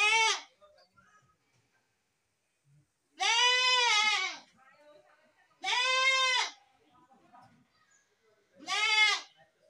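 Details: Goat giving a series of loud, quavering bleats, four calls spaced roughly three seconds apart, each strongly harmonic with a slight rise and fall, quiet faint sounds between them.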